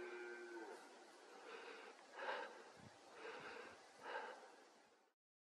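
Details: Red deer stag roaring in the September–October mating season, forest of Bucegi Natural Park, Romania: three deep, throaty, harmonic groans about one second apart, each swelling and fading, against a soft noisy background.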